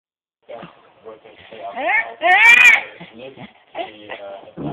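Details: Puggle dog making funny noises toward another dog: a string of warbling, whiny vocalizations that slide up and down in pitch, peaking in a louder drawn-out high whine midway, then short grumbly yips toward the end.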